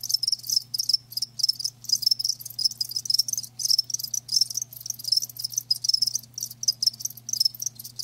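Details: Chorus of live crickets: piercing, pulsed chirping in tight repeated bursts with tiny breaks, steady throughout, plus a soft low drone in the background.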